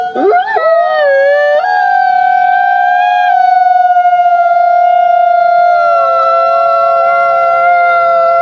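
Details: A group of gray wolves gives a soft, whining howl rather than full howling: quick rises into long, steady, overlapping tones that sag slightly at the end.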